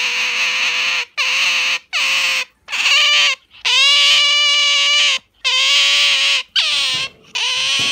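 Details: Pet Asian small-clawed otter hugging and gripping its owner's arm hard, wiggling its rear; a run of about seven shrill, harmonic whining squeals, some bending upward at the start, with brief gaps between them, indoors.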